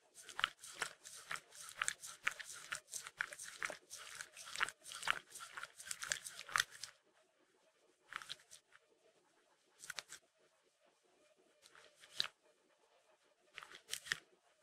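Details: Eating peanut butter, Mindy the Shetland Sheepdog licks rapidly and continuously for about seven seconds. Only a few scattered smacks follow across the quieter second half.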